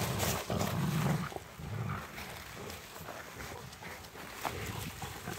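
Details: Three Rottweilers play with a stick on a wintry walk in light falling snow; low, rumbling growls come in bursts during the first second and a half, then settle into softer grumbling over scuffling and rustling.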